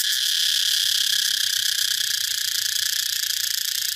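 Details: Cicada call, a dense and unbroken shrill buzz that holds a steady pitch and loudness for four seconds, with slight throbbing toward the end.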